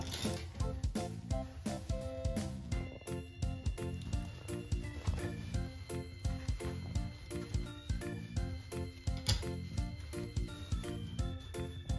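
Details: Upbeat plucked background music with steady beats and sustained tones plays throughout, and no animal voice stands out.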